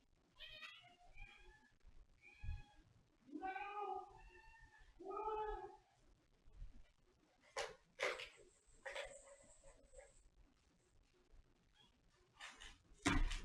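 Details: A cat meows several times in the first six seconds: drawn-out, tonal, harmonic-rich cries, some rising and falling. Sharp clicks and knocking sounds follow, with faint background noise.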